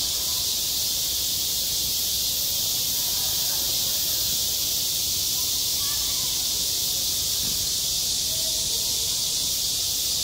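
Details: Cicadas singing on a school playground in midsummer: a dense, unbroken high-pitched hiss that fills the whole recording at an even loudness, with only faint low murmurs beneath.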